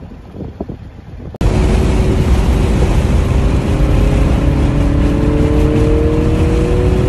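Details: Quiet room noise gives way to a sudden steady roar of engine and road noise.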